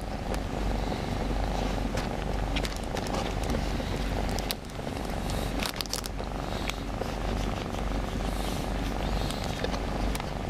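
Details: Shy pet cat that avoids being held, cuddled where it hides; an unbroken low purr fills the recording, overlaid by repeated sharp clicks and rustles of movement.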